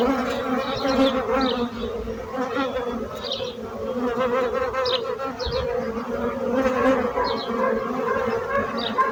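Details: A loud, sustained drone of buzzing bees, thick and overtone-laden, holds steady throughout. Faint high bird chirps appear now and then in the background.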